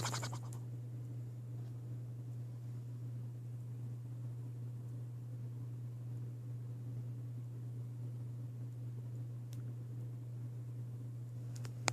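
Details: A steady low electrical hum fills the room, with brief scratching at the start and end and no animal sound.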